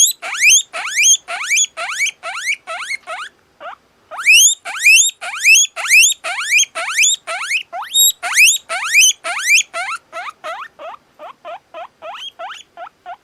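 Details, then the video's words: Whistling of a very sociable two-month-old satin male guinea pig: loud, clean rising squeals delivered in a fast series, roughly two per second, with a brief pause partway through, then softer, shorter whistles at the end; no other sounds. "Как свистит морская свинка"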